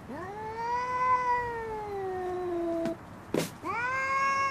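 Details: Female cat fighting over a garden chair, giving long drawn-out wailing cries that rise, hold and slowly fall, a loud rasping burst between them, then another rising wail.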